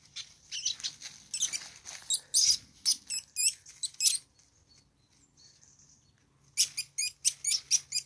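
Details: Least weasels scuffling together, too busy to notice the observer; loud, piercing chittering squeals in rapid volleys, a brief lull with a faint thin whine, then another quick string of high squeaks.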